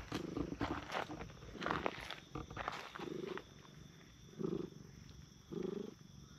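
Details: Stray park cats, a brown tabby and a tortoiseshell, sit on a bench and are petted in turn; short low rumbling bursts of about half a second come at intervals amid rustling and handling noise.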